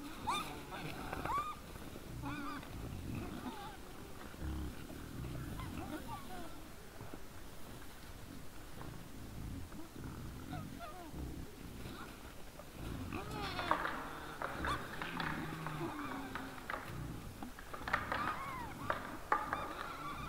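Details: Several wild boars in front of a trail camera on 17 December 2022 at 20:17 in the evening: low rumbling grunts throughout, with thin, wavering squeals breaking out early and again in clustered bursts in the second half.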